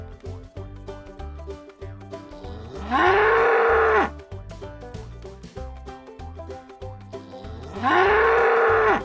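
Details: Farm cow lowing twice, about five seconds apart. Each call is a raspy, fairly high moo lasting roughly a second, rising then falling away, heard over continuous rhythmic background music.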